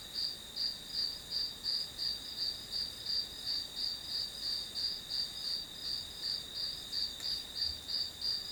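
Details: Grass insects trilling as a study background: bright high-pitched chirps pulsing about three times per second in an even, steady rhythm over a constant high drone, with no other clear sounds.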